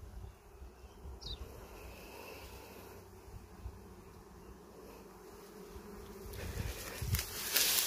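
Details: Natural wild bees in forest, sought out on a honey-hunting walk. A soft, continuous droning buzz sits under leaf rustles, with one brief high chirp early and louder crackling toward the close.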